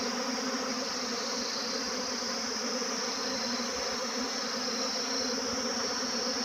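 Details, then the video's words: Honey bee swarm in flight: a dense, steady buzzing hum with layered droning tones, continuous and unbroken throughout, with no other clear sounds. "Todays swarm best moment Buzzing sound"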